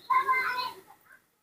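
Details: Newborn baby monkey, rescued with its face covered in dried pus, during milk feeding after it has had enough: a single tonal, harmonic squealing cry of about one second that wavers and fades, then a faint short after-note.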